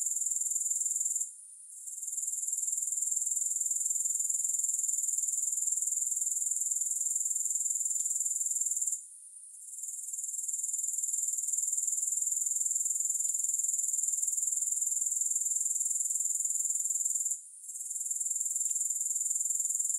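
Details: Continuous high, shimmering grasshopper trill of fast even pulses, broken by three brief dips to near silence, each followed by the sound quickly returning. Tiny faint clicks are scattered through, with no music.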